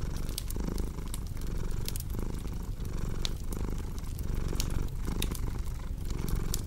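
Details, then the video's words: Domestic cat purring in a deep, even rumble with rhythmic in-and-out breath pulses, while a fireplace crackles and pops sharply in the background. "Purring Cat with Cozy Crackling Fireplace Sound"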